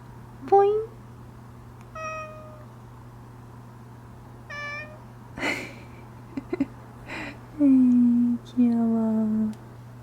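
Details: Domestic cat Odeuli, voice gone hoarse following tooth extraction surgery, giving scattered meows indoors: brief chirp-like calls early, then two longer, lower, flat drawn-out meows near the end, over a constant low hum and a few clicks.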